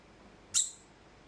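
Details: Degu giving an alarm call after suddenly starting to cry out for no clear reason: one sharp, very high, piercing chirp, brief and loud, against a quiet background.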